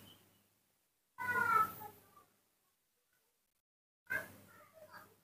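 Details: Baby monkey, male and reared by hand, crying out for milk in the morning: two bursts of bright, harmonic, squealing cries separated by a pause of about two seconds, with indoor background.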